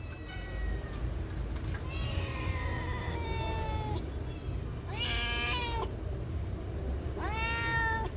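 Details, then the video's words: Domestic cat answering in a back-and-forth conversation with a person: three drawn-out, harmonic meows spaced a few seconds apart, the middle one loud and bending, over steady low background rumble. "Cute Conversation With A Responsive Cats"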